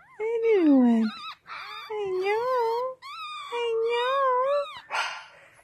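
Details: Chocolate Yorkshire Terrier puppies, a pair of little males born April 7, 2018, heard in long, wavering, tonal whines and howls: four drawn-out cries, the first sliding downward, the others rising and falling, ending in a short noisy burst.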